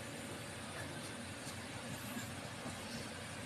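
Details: Only a steady vehicle or engine rumble with broad hiss is heard, with no animal voice.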